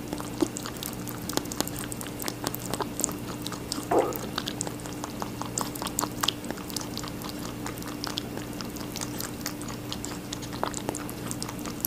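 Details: Indoor rabbit munching watermelon, continuous sharp crunchy bites and wet clicks repeating several times a second, one brief squelch around four seconds, faint constant hum in the background.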